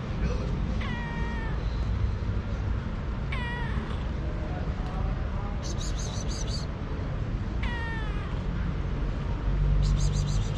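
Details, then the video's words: Hungry fluffy-tailed domestic cat meowing in a low voice; three drawn-out meows with a falling pitch come a few seconds apart, over a constant low rumble and a brief burst of high clicking. "Fluffy-tailed cat meows in a low voice because he is so hungry"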